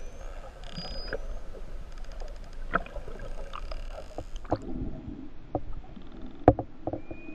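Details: False killer whales (Pseudorca crassidens) from the endangered main Hawaiian islands population, recorded off West O'ahu while attacking mahimahi, give clicks and thin high whistles over a heavy underwater rumble.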